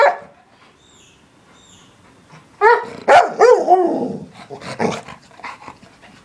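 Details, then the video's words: English Springer Spaniel barking: near-silence for over two seconds, then a run of voiced, harmonic barks and yowling, talk-like sounds with rising and falling pitch, several bursts packed together before tapering off. "Barking Springer"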